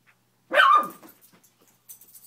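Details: A single loud, abrupt bark from Gia, a house beagle, aimed at a Spider-Man lamp lying on the room floor. It fades quickly into quiet, with faint rustling afterward.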